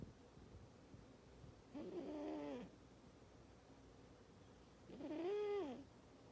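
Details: Sleeping pet cat snoring very loudly indoors: two drawn-out tonal, whistle-like snores, each under a second long and rising then falling in pitch, about three seconds apart, with a quiet hiss between breaths.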